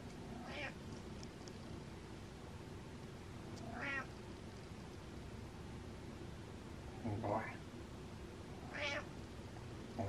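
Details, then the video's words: Pet cat Butters lets out contented meows: short rising-falling mews roughly every two to three seconds, one lower and throatier near the end, with faint room noise. "Happy Meow Meows"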